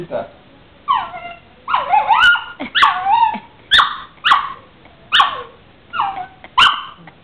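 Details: A female pup answers her owner with repeated wavering, howl-like yowls, each bending up then down, coming about once a second. A few sharp sounds punctuate the series, and the man's voice is briefly heard.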